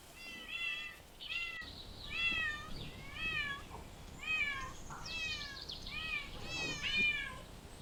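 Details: Stray cat out in parks and streets, meowing repeatedly, about eight short rising-then-falling mews in quick succession, some overlapping, with faint outdoor noise behind.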